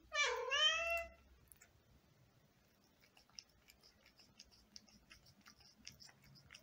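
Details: Indoor cat eating grapes while a second cat wants some: one drawn-out, wavering meow lasting about a second, followed by quiet rapid clicking and chewing sounds.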